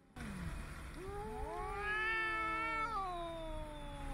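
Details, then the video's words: A domestic cat gives a long, drawn-out, moaning yowl that rises, wavers, then slides down. Adult cats yowl at one another, usually in breeding season, or when in distress, pain or territorial concern. "unlike meowing yowling is not only a cat to human communication adult cats also yell at one another"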